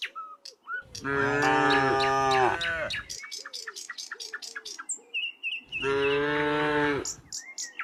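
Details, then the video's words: Dozens of tame cows walking along a quiet country road: two long, loud harmonic moos, each over a second, with gaps between them filled by frequent bird chirps and tweets. "Dozens of tame cows walked very happily, the sound of the cows mooing, echoing along the road"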